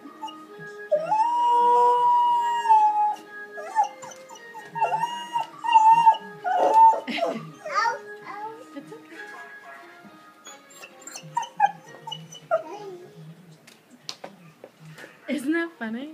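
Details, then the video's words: A male Golden Retriever howls along with the Jeopardy game-show theme tune, as he always does when he hears it, his voice rising and wavering. "Jeopardy Howling Dog"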